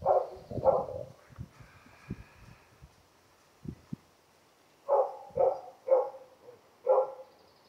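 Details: Female Karelian Bear Dog, June 2016, asking for more friendly attention: two short whining yelps at the start, a quiet stretch with soft thumps, then four evenly spaced, tonal whimpers about half a second apart near the end.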